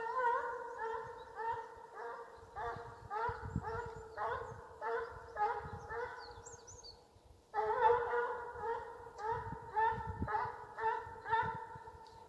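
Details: A male Russian Hound in Ivanovo region bays in a steady run of ringing, tonal yelps while pursuing game during a hunt.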